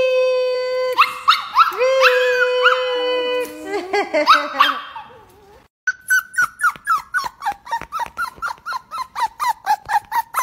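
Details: A Miniature Pinscher "sings" along to a song in wavering, rising howls, then breaks into quick, evenly spaced yips.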